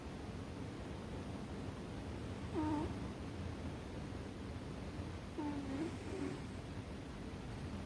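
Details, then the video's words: Ame-chan, an American Shorthair cat, deeply asleep atop a chest of drawers, giving two brief nasal, whistle-like snores about three seconds apart against a continuous low hum. "豪快なイビキをかいて爆睡するアメリカンショートヘアCute snoring cat"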